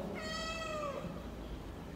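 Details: Mother cat at a cat meat shop in Vietnam, seemingly seeking friendship, gives one long, loud meow that rises slightly and then slides down at the end.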